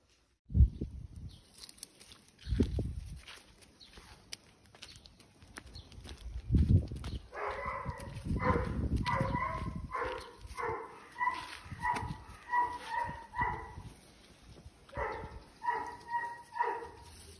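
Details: Doberman named Reira, ill with lung cancer, October 2020: after a few low thumps, a run of short, tonal, moaning whines comes in clustered bursts, pausing briefly before a last group.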